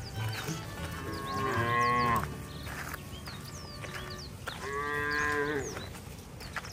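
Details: Cattle herded along wet roads to their farm pens in the rainy season moo with long, harmonic-rich calls that bend in pitch, two clear bellows a few seconds apart.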